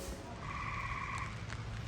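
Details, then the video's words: Tree frogs in the background at Longwood Gardens' Waterlily Court, Kennett Square, Pennsylvania, on a rainy opening day, give a steady trilling note lasting under a second over rain and a low hum. "And you can hear the tree frogs in the background."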